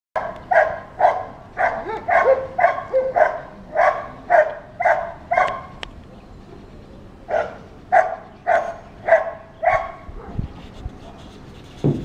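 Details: ['Dog barking all day, set off when children or a strange dog pass by; a steady run of loud, hoarse barks about two per second, a brief pause near the middle, then another burst of barks.']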